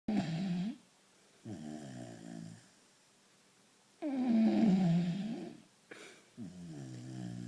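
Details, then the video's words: Vizsla puppy, tired and asleep indoors, snoring in throaty, harmonic bursts lasting about a second each, some drawn out and falling in pitch, separated by quiet pauses between breaths. "the snoring vizsla puppy"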